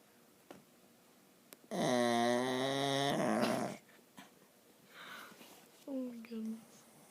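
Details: Dog sleeping and snoring, a loud harmonic snore of about two seconds with steady pitch, followed by soft breathy noise and a couple of brief higher squeaky sounds near the end.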